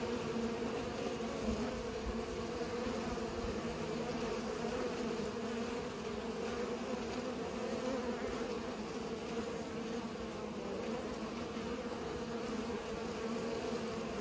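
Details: Bees pollinating, a steady many-winged hum with bands near 250 and 500, continuous and even throughout with no other clear sounds.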